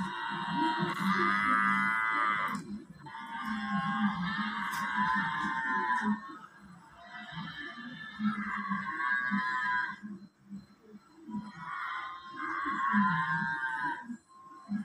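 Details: Loud, high water buffalo bellows repeated about every four to five seconds, each a sustained harmonic cry, with a quieter gap midway and pulsing music running beneath the whole sequence.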